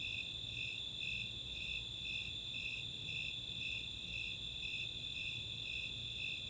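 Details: Rapid high ticks of a Greater Angle-wing Katydid open this night recording from Chautauqua, Boulder, Colorado, then fade, leaving the summer chorus of Snowy Tree Crickets pulsing about twice a second above the unbroken shrill trill of Four-spotted Tree Crickets.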